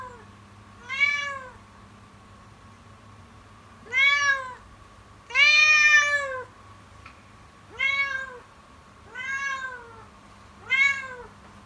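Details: A kitten keeps calling from the morning on, its cries sounding strikingly distressed: six loud, bowed meows, each rising and dropping, coming every one and a half to three seconds against a quiet steady hum.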